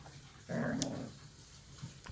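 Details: Bichon Frise puppy growling indoors when its toy is taken away: a short, low, rough growl lasting about half a second, between a person's spoken words in a small room.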